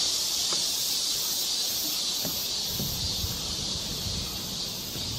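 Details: Summer cicada chorus at a forest park trail (Galsan Park, Korea) during the monsoon-season heatwave, July 2024: a steady, shrill unbroken high buzz from start to finish, with faint low rustles and knocks underneath.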